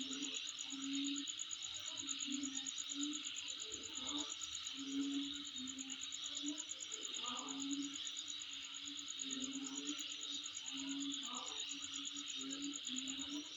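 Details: Unbroken insect trilling, high and rapidly pulsed, fills the whole stretch above a constant hiss; short low hoots recur irregularly underneath.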